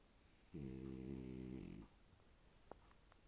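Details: A short-nosed French Bulldog, sleeping on a bed and breathing freely, gives a single low, rattling snore lasting just over a second.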